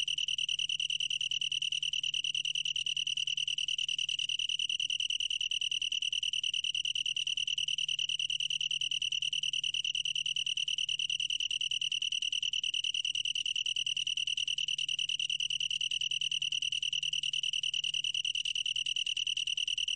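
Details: Long-tailed tree cricket singing a steady, unbroken high-pitched trill, a pure ringing tone with faint overtones that holds level for the whole stretch; no other sounds intrude.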